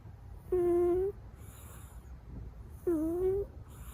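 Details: Sleeping Munchkin kitten snoring indoors: two squeaky, whistled tones with a mid pitch, each about half a second long and slightly rising at the end, spaced roughly two seconds apart over a soft low background hum.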